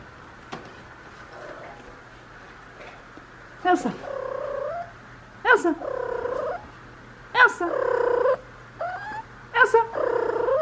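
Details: Female Ragdoll cat, one and a half years old, in her first heat, answering with short rolled trills when called by name indoors; four chirping, warbling calls with rising and falling tones spaced about two seconds apart, faint background hum.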